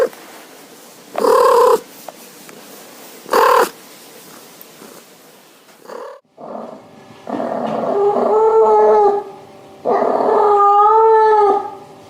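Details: Domestic cat calling: two short meows early, then longer drawn-out wavering meows near the end, with a faint background hiss.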